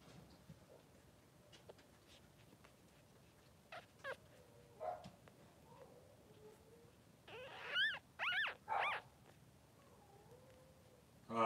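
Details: Soft grunts and faint squeaks give way to three loud, rising-and-falling whines from a three-day-old Blenheim Cavalier King Charles Spaniel puppy, one of Pom-Pom's two newborn boys in their puppy pen.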